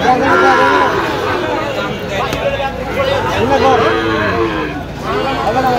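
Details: Sahiwal bull calves at a cattle market on 17 October 2025, bought by a farmer from Khulna: drawn-out harmonic moos rise and fall amid steady market chatter and bargaining voices.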